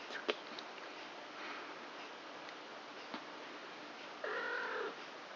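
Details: Four three-week-old kittens of the cat Krampus, born on 29 March, play with each other at night indoors. Steady hiss and a few soft clicks come first, then a single short, level meow near the end.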